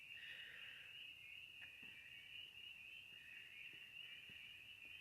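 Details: Distant chorus of spring peepers (Pseudacris crucifer) at an old dam on 3/22, high piping peeps blending into a steady shrill ring; peepers had been very loud another night, with frogs out on the road.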